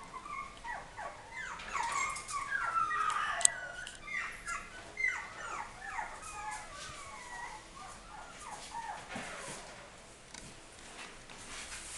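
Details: Dog, described as a half or mixed breed, giving a rapid run of short, high, squeaky whimpers and yips that slide downward in pitch, loudest in the first few seconds and then fading into softer, scattered whines.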